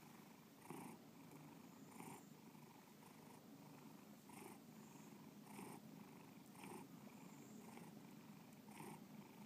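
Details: Pet cat named Bubba purring in a quiet room, a constant low rumble with rhythmic breath-linked surges roughly every second, no other sounds intruding.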